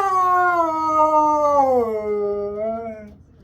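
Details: Siberian Husky screaming on a Sunday morning: one long harmonic howl that starts fairly high, slides gradually downward and fades out after about three seconds.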